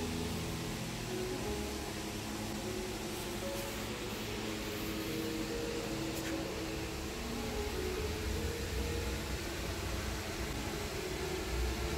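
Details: A steady broadband roar like a fan or running vehicle fills the whole stretch, with faint tonal hum and no animal voice.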